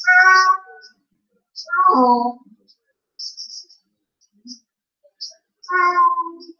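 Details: Female Blue Point Siamese cat alone indoors, filmed by a surveillance camera after her owner leaves, crying as she does almost every time. Three long, drawn-out wailing meows with rich harmonics, spaced a few seconds apart, with faint hissy ticks between.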